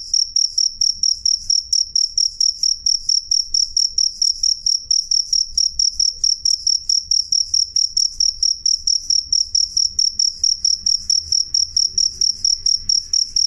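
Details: Steady cricket song, loud and clear, made of sharp high chirps recurring at a regular, rapid beat of a little over two per second, with little else audible.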